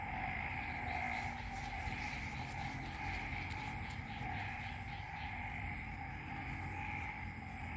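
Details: Frog chorus in Ubon Ratchathani, Isaan region of Thailand, recorded after the previous night's rain: a dense, unbroken droning wall of calls with two steady pitch bands, one middle and one higher, over a constant low rumble.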